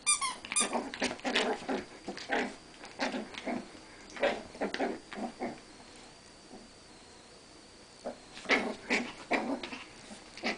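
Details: Rat Terriers Newton and Twinkie in a mock battle at home, giving rapid clusters of short harmonic squeaks and yips, a pause midway, then another quick burst of squeals; faint electrical whine in the background.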